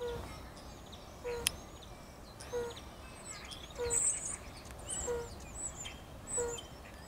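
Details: European fire-bellied toad (Bombina bombina) calling in a Kraków park on 4 April 2016: soft, low, hooting notes about every second and a quarter.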